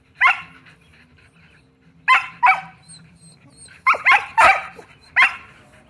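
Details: Several Shetland Sheepdogs, pet dogs at home, barking insistently because they want to play ball: sharp, bright barks in bursts, single and in quick pairs and triples, with a low hum beneath.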